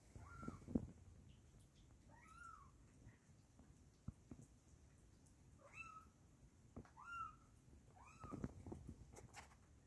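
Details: Several young kittens indoors mewing in short, thin, high rising-falling cries, a few spaced irregularly over ten seconds, with soft low background rumble.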